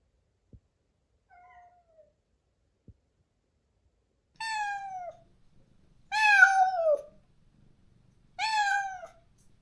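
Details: Stray cat in a countryside yard in Korea, crying daily for a companion it was separated from after neutering: three drawn-out, falling meows with rich harmonics, the last two loud, after a faint short mew and a few clicks.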